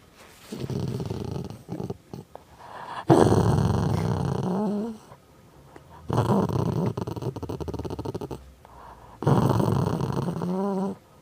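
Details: House dog making funny growling noises: three drawn-out low, throaty growls lasting one to two seconds, each ending in a rising nasal whine, separated by quieter pauses with faint clicks.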